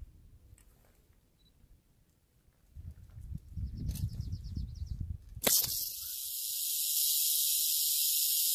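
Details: Western diamondback rattlesnake: after several seconds of low rustling and shuffling, a sudden loud, steady, hissing rattle breaks in and carries on without pause to the end.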